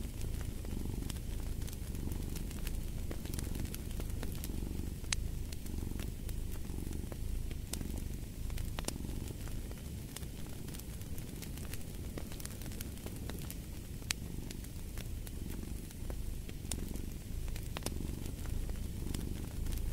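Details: Low, rhythmic cat purr pulsing with each breath, accompanied by the steady crackle and occasional sharp pops of a wood fire.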